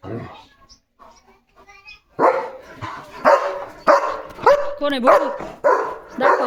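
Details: German Shepherd chasing other dogs from the gate: after quiet talk, a series of loud, rough barks roughly every half second, some with a whining, wavering edge, mixed with a man speaking.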